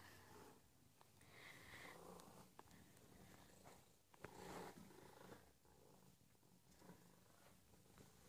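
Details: Lily, a pet cat in an affectionate cuddly mood indoors, purring softly as a continuous low rumble, broken by brief sharp clicks and rustles of handling.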